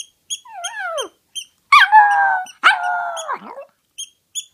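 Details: A toy poodle, fond of howling, gives a falling, wavering cry and then two long, steady, fairly high howls that sag at the end. Quick, sharp clicks are heard before and after.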